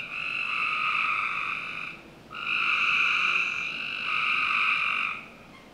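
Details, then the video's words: Backyard frogs in Northern Virginia calling on a summer night, with two long rasping trills of about two seconds each and overlapping voices that swell and fade. "Frog Night 1"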